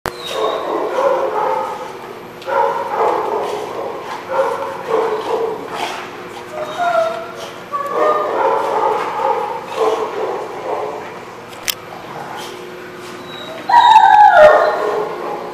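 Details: Several dogs barking together: overlapping harsh, mid-pitched barks and yips in irregular bursts, roughly two to three per second, with a louder high yelp near the end and some human voices mixed in.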